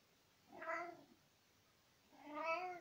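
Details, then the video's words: Domestic tomcat meowing while talking to his owner at home, recorded in spring 2020: two drawn-out, harmonic-rich meows about a second and a half apart, the second longer and slightly rising, with a quiet room between them. "Kater Nicki erzählt - miaut - Katze"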